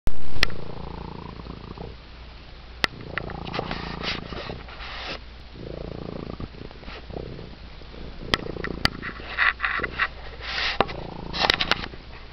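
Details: Raucous purring of a domestic cat receiving attention, a low rumbling drone rising and fading in bouts with each breath, broken by sharp clicks and brief rustling handling noises.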